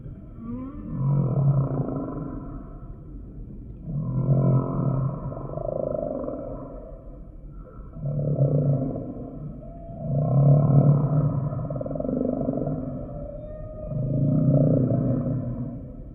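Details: Humpback whale song: low, throaty pulsed units with buzzy harmonics, repeated roughly every two seconds in a steady swelling rhythm, with faint higher overtones above.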